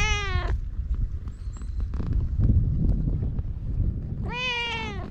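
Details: Two loud, bright meows from a feral cat on Japan's cat island, one at the start and one at the end, each brief and arching, separated by outdoor scuffing and low rumble; filmed with a GoPro.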